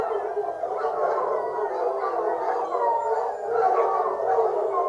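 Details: Hunting foxhounds giving tongue as a pack: a thick mass of long, wavering howls and yelping cries, constant and loud throughout.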